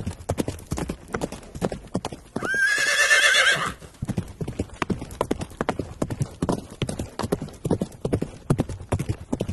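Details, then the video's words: Horse walking with a steady clip-clop of hooves, about 150 beats a minute, broken by one loud, high, shaking whinny lasting over a second that falls away before the hoofbeats carry on. "The sound of a horse"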